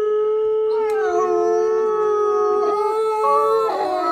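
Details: A group howl from wolves kept at Asahiyama Zoo, Japan: a steady, level held note with higher voices gliding up and down, ending in a short, rough rise of overlapping cries.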